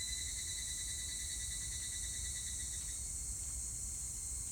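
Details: Evening cicada singing on 25 July 2019: a fast, even pulsing trill held for about three seconds before fading, over a steady high-pitched insect hiss and low background rumble.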